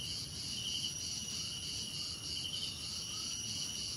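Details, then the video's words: Crickets trill steadily in several high, shrill layers that pulse gently, with a faint sliding note near the end and a constant insect hiss beneath. "Relaxing Cricket Sounds"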